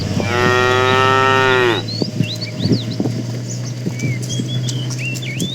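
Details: A cow from a tame herd moving on a long journey to fresh pasture gives a sustained, steady moo of almost one and a half seconds that sags at the end, over a low constant hum, with scattered bird chirps after it.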